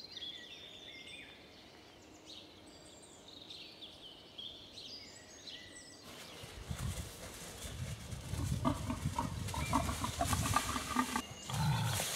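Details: An angry wild boar mother with piglets snorts at an observer from across the river Warnow: harsh, rough grunts and snorts after a stretch of light birdsong.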